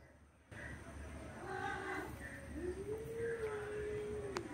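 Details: Orange male cat trying to mate forcefully with a female cat gives a long, drawn-out, steady yowl that rises at the start and holds its pitch, after a few short harmonic cries, over low background rumble.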